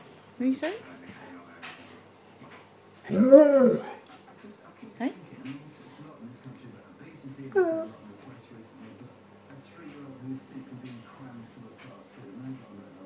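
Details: An Alaskan Malamute–husky mix gives wavering, yodel-like woo sounds, chatting to its owner, with a person speaking nearby.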